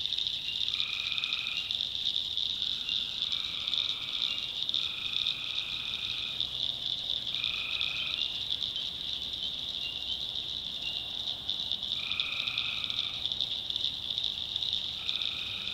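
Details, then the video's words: North Carolina swamp at night, tree frogs in full voice: a constant high-pitched trilling chorus beneath repeated nasal harmonic calls, each about a second long, returning every couple of seconds. "Relaxing Swamp Sounds at Night - Frog Heaven - Frogs, Crickets, Forest Nature Sounds"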